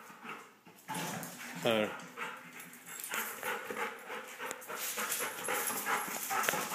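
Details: During rough play between a big dog and a little dog, one brief high yelp with stacked harmonics cuts through constant scuffling, panting and movement noise, while a person speaks to the dogs in the background.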